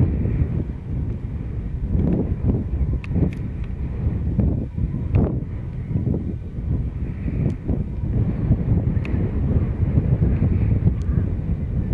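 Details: Steady wind rumble buffets the microphone, with low-pitched noise and no clear animal calls.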